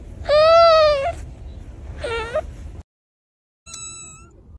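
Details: Domestic cat gives two whiny, wavering meows, the second lower and shorter, followed by a brief pause and then a thin, steady high tone.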